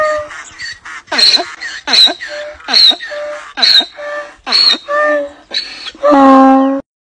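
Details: Donkey braying loudly: a seesawing series of harsh, wheezy hee-haw cries, roughly eight rapid cycles, closing on a long, drawn-out, lower groaning note.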